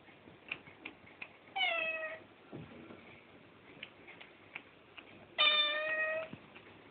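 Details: Pet domestic cat indoors giving two clear, drawn-out meows about four seconds apart, each steady then slightly falling, with soft tapping and clicking noises between them.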